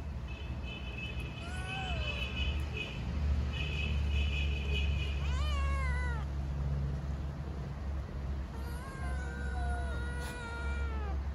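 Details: Hungry stray kittens living on the street in Istanbul meow for food and affection, several overlapping arched meows in bursts with pauses between, under a loud low rumble of city traffic.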